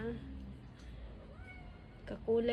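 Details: Stray kitten found outside and fed chicken and rice, whose mother is also fed outdoors: a woman speaks softly in Filipino, then the kitten gives a short, squeaky, steady meow at the end.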